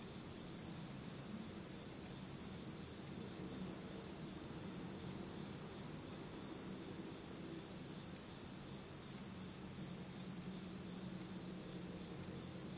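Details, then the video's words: Autumn insect chorus from Japan at night in total darkness, a continuous shrill trill steady throughout, a faint higher tone above, and quiet low murmuring sounds underneath. "真っ暗闇の秋の虫の声 Beautiful sound of insects in the fall of Japan in total darkness."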